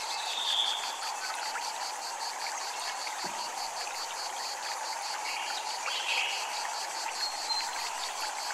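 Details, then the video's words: Cicadas calling at a Japanese temple: a steady train of rapid, evenly spaced pulses continues throughout, over a constant broad hiss that fits the running water, with a few brief higher chirps scattered in the background. "Japanese Temple Ambient Sound | Water, Chimes, Cicadas"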